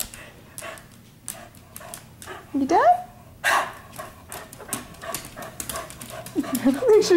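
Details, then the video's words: Pet dogs playing in a living room at night, one female dog still wanting to play; high curved whines rise and fall twice, amid thumps, scratching and a person talking. "Dogs Playing Inside"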